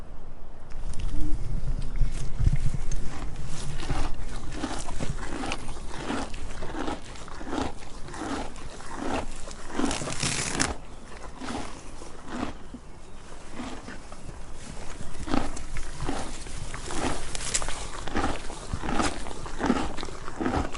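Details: Donkey eating: steady, crunchy chewing bursts repeating about every three-quarters of a second, with a louder rustling crunch midway and a low background rumble throughout.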